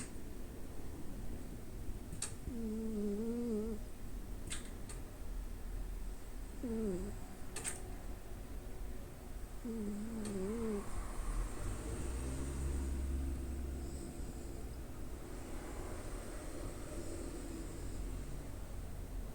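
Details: A nine-year-old male orange tabby Munchkin cat snoring while asleep indoors. It gives wavering, whistly nasal snores roughly every three to four seconds over a soft, low, steady rumble, with a few faint clicks.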